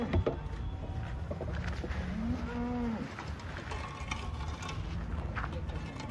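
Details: A Holstein Friesian cow gives a single short, low, flat moo lasting under a second, midway through. Steady background noise runs throughout.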